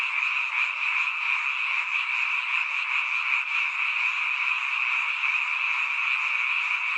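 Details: Many frogs calling at night in a mountain village, heard only at this time of year; loud, dense, even croaking chorus with a faint pulsing rhythm, no other sounds.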